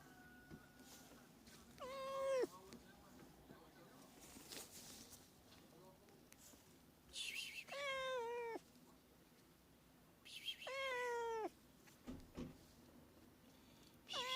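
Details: Domestic cat calling, played to attract cats: four meows that rise then fall, spaced a few seconds apart, with bursts of hiss-like noise and faint background tones between them.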